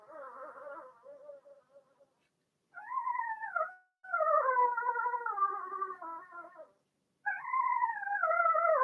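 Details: Young Blenheim Cavalier King Charles Spaniel puppies, two females and four males, in an indoor puppy pen; several drawn-out, tonal whimpers arrive in bursts with brief gaps, some wavering and dipping, one stuttering into short pulses at the start.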